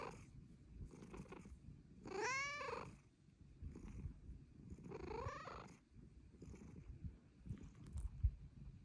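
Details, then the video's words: Young female Bengal cat asking to be petted, her purr getting louder as she ages: two bright, arched meows a few seconds apart, the first stronger, set against a continuous low rumbling purr. "Pretty kitty meows for pets!"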